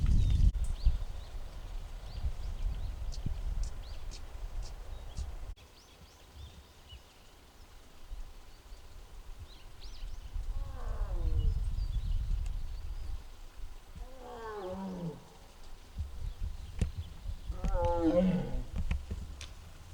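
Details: Muguk, a six-year-old tiger at the Tiger Forest of Baekdudaegan National Arboretum in Bonghwa, recorded on the afternoon of 24 April 2026 making strange sounds. Three harmonic, wavering calls come a few seconds apart. Faint birdsong and low rumble sit beneath them.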